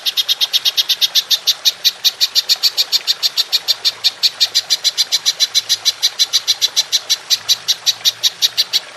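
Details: Belalang emas, the golden grasshopper, recorded as training audio for songbirds in the long 'nembak panjang' style: a steady, unbroken train of sharp high ticking pulses, roughly five a second, running the full nine seconds.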